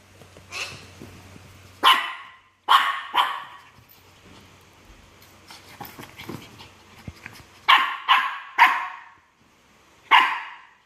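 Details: A Shih Tzu harassing a myna bird gives sharp, raspy barks, single and in quick pairs, separated by quieter stretches with a faint low hum.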